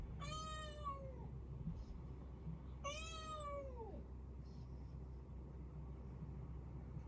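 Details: Rescued kitten, a black-and-white tuxedo cat, meowing indoors from somewhere out of sight; two clear, falling meows about a second long, nearly three seconds apart, over a steady low hum.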